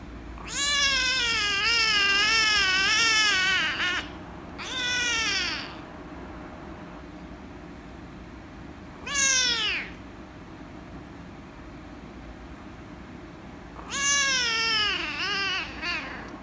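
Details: Rescue kitten, angry at being petted, gives a run of loud, drawn-out meows, the first long and wavering, then shorter falling cries spaced by brief pauses, against a quiet room hum.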